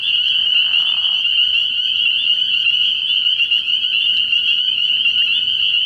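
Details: Night chorus of many spring peepers at an early-year frog pond, a steady piercing wall of high overlapping peeps that never pauses, joined near the start by a brief softer lower-pitched murmur.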